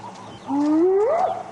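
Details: Spotted hyena, probably a male of a clan near its den, giving a final contact call at dawn before lying up; a single smooth whoop sliding steadily upward over about a second, ending in a brief higher flick.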